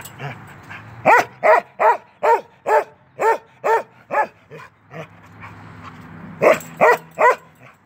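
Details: A 10-month-old male Norwegian Elkhound barks while playing through a fence: a steady run of about ten sharp, evenly spaced barks, a short pause, then three more quick barks.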